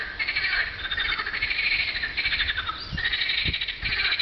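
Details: Frogs in full chorus on a hot spring afternoon in April 2012, a steady wall of fast, rattling, high trills from many overlapping callers, with brief low bumps of background noise near the end.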